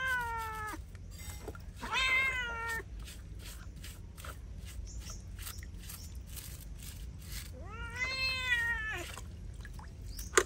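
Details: While being bathed, a feral cat lets out three long wailing meows, the first sliding downward, the middle one short and strained, the last arching up and falling, separated by quiet stretches with low hum.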